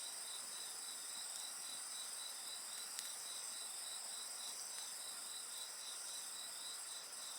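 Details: Insect voices mingle with bonfire sounds, an unbroken high-pitched ringing layered over a rapid regular pulsing trill, about 222 pulses a minute, with a single loud crackle from the flames.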